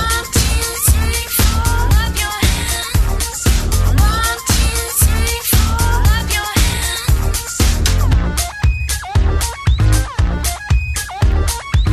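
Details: Loud disco-funk music with a driving beat of about thirty pulses a minute and bright synth lines, no animal heard.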